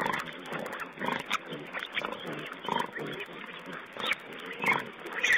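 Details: Wild boar piglets feeding, recorded on a webcam on 19 April 2010: dense, noisy grunting and snuffling in irregular bursts, over steady background hiss.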